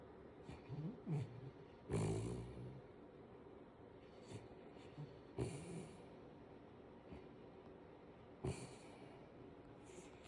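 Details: Five-month-old Kooikerhondje puppy asleep sprawled between its owner's legs, snoring softly: quiet low rumbling breaths with sharper snorting bursts at about two, five and a half and eight and a half seconds, recorded indoors with little other sound.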